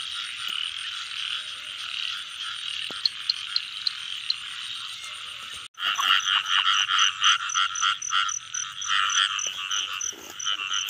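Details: Rain-season frogs: a steady buzzing chorus with a few sharp ticks breaks off abruptly, then a louder, closer bout resumes with rapid rhythmic croaks and a high, evenly ticking call above them.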